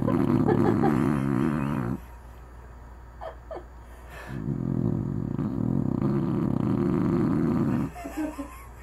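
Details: Anna the dog asleep and snoring: two long, loud, rasping breaths with a buzzy rattle, separated by a quiet pause with faint small sounds.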